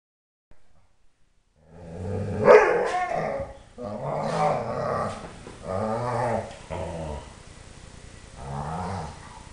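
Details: Three-year-old Dobermann yodelling in happy bursts, in a household of four dogs: five drawn-out, wavering, harmonic howl-like outbursts, each one to two seconds long, with brief pauses between them and a faint click near the start.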